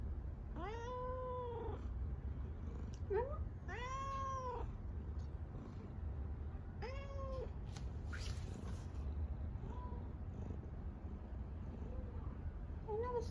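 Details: Male tabby cat chatting with its owner in a soft voice: several clear, rising-then-falling meows in the first eight seconds, followed by two or three quieter, shorter mews near the end. A person briefly answers with a rolled sound.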